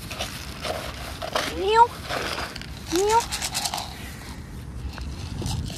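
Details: Roadside stray cat, hungry and trying to get into a school bag for food, gives two bright rising-then-falling meows about a second and a half apart, with voices and outdoor street noise around it.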